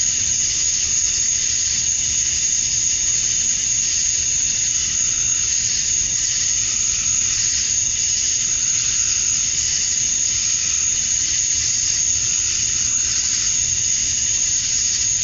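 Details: Summer dusk in Georgia, USA, filled with male cicadas calling to draw in females: a continuous high, hissing whine that holds level without pause, forming an even wall of insect sound.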